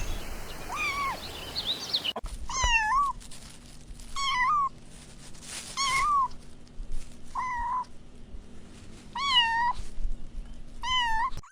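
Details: Kittens out on the grass chasing butterflies give about seven short, slightly wavering meows spaced a second or two apart, with a low steady hum and some rustling noise behind them.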